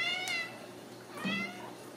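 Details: Ragdoll kittens raised in a home cattery in central Kansas; two short high meows, the first at the start and a second about a second later, each with a clear harmonic stack and a slight falling bend.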